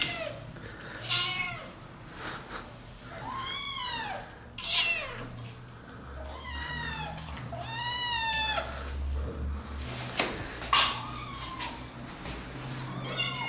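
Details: Repeated meows from kittens said to be attacking, indoors: about eight clear, arching mews spaced a second or two apart, some short and thin, others longer, with occasional sharp knocks and low rumbling hum.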